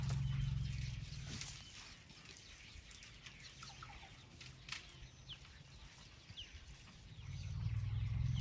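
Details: Low purring rumble of elephants at night beside a tent in Tarangire National Park, Tanzania: a deep throbbing tone opens the recording, fades to quiet with scattered bird chirps, then returns strongly at the end.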